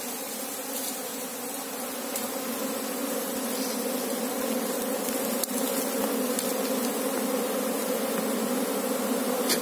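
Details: Many Asian honey bees buzzing while their hive is searched for the queen, a continuous droning hum that swells slightly louder midway, with a few faint clicks and knocks over it.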